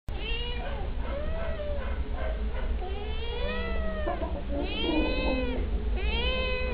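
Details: Two stray kittens meow while begging for treats. Repeated high, arched meows, some rising and some falling, overlap one another with a steady low rumble underneath.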